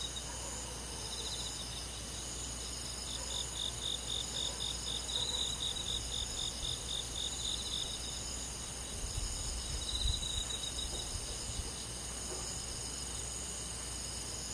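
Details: Summer-night crickets in countryside woodland: several overlapping callers give rapid, high, evenly pulsed chirps, with a few louder bursts standing out over a soft constant insect hum.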